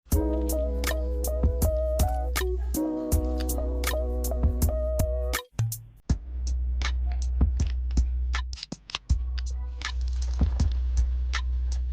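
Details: Upbeat hip hop beat with drum machine hits, a deep bass line and synth chords, briefly dropping out before the beat returns.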